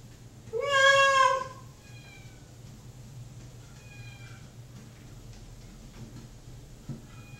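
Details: Waiting for din-dins in the bathroom, pet cat Mocha lets out one loud, sagging meow. Faint, thin meows follow from farther off, likely the other cat, Awesome Sauce, fed separately in the kitchen.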